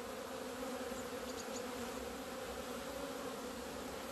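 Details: Many honey bees leaving the hive in the sun on 17 February 2020, after two winter months without flying. An even, unbroken low buzz of many wings fills the whole stretch.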